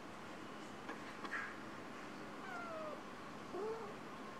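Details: Two kittens give soft, thin mews, three brief high calls spaced about a second apart, some slurring downward and one rising then falling, in an otherwise quiet setting.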